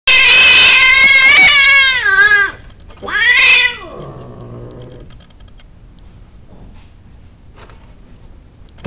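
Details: Male cat during mating, recorded indoors at a cattery, letting out two loud, drawn-out caterwauls with a yowling rise and fall, the second ending in a lower moan, followed by several seconds of near quiet.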